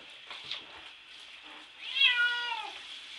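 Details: Bubby the cat, in the bath and wanting out, gives one strong drawn-out meow that bends downward near the end, after a stretch of hissing water and faint scratching at the shower door.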